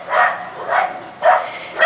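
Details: Corgi puppies almost seven weeks old, from two litters, barking while a weed eater runs nearby; three sharp high yips spaced about half a second apart.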